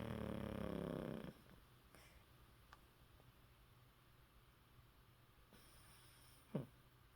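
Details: Yeppi, a 14-year-old Maltese dog, snores with mouth open, tired after coming back from a walk: one loud, rasping, low harmonic snore fills the first second, then a quiet room with a brief sharp sound near the end.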